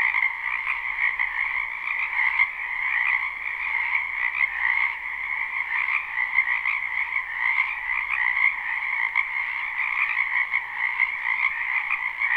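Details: Spring wetland frog chorus, live recording with no looping: overlapping croaks merge into a steady, buzzing wall of sound with slight pulses in loudness, nothing else audible.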